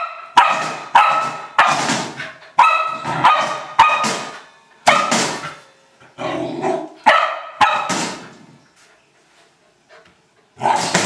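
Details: Old English Sheepdog playing with a trash can, giving loud barks in quick groups for eight seconds, then a short quiet pause before one final bark.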